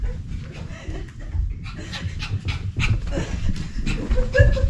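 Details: An excitable pet dog pants hard while playing. Rapid, breathy bursts come about three to four times a second over a steady low rumble, with a few faint squeaky tones near the end.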